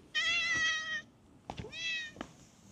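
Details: Stray cat in a park, running up on seeing a familiar face, gives two clear harmonic meows: a long steady one followed after a pause by a shorter one, with a few soft thumps between.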